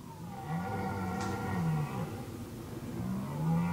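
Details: Red deer stag roaring in the forest during the 2019 rut: deep, harmonic bellows rise and fall in pitch, with a long groan near the start and another swelling roar toward the end, over low rumbling background.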